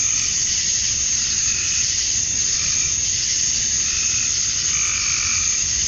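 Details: Georgia, USA, summer dusk: a thick, even high-pitched cicada buzz from males courting females, with occasional soft, short lower-pitched calls beneath the drone.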